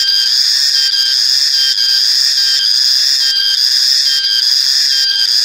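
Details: Cicada, known in Malay as reriang or riang-riang, sounding a piercing shrill buzz that pulses with brief dips roughly every second, the steady high drone otherwise unbroken.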